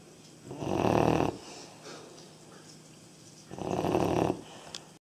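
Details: Young Labrador Retriever, aged three and a half months, asleep and snoring: two rough, droning inhalations about three seconds apart, separated by faint breathing.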